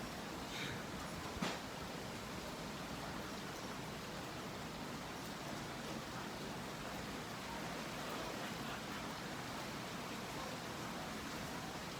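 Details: A steady hiss of broadband noise, like rain or distant traffic, runs throughout, with one sharp click near the start and no animal voice.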